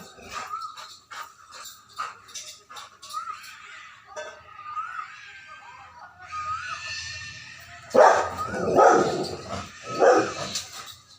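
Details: Angry Rottweiler reacting to a strange sound of pigs: high, wavering whines and whimpers for the first half, then three loud, harsh barks about a second apart near the end.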